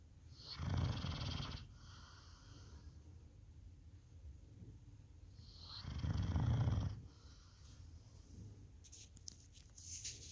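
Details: Labrador Retriever dog snoring: two deep, rumbling wheezy snores about five seconds apart, each lasting roughly a second, with quiet breathing between and a brief crackle near the end.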